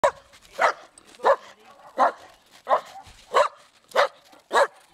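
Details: Dog barking steadily, one sharp broad bark roughly every two thirds of a second, eight in all, each bark strong in the middle range with a brief rough edge and quiet pauses between.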